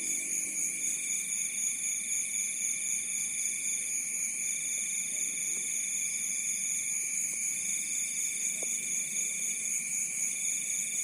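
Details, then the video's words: Crickets at night at the edge of a rice field in Bantul, Yogyakarta: several steady, high, shrill trills layered at different pitches run without pause, one band breaking off and resuming, over a faint low rural murmur. "Suara Alam Malam | Jangkrik di tepi Sawah"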